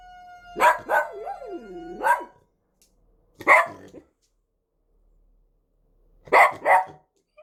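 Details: Dog reacting to the siren sound of a fire safety inspection: as the tonal siren fades, a pair of sharp barks, a wavering howl, another bark, then silence before two final barks.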